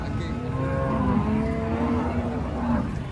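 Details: Cattle arriving by truck, a lively group: a long, steady low moo holds for about two seconds under people talking and a vehicle's rumble.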